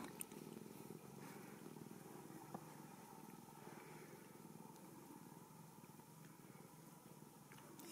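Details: Ragdoll kitten, a blue-eyed female raised indoors without cages at a cattery in central Kansas, purring in a steady low rumbling throb while a woman talks softly to her in a small room.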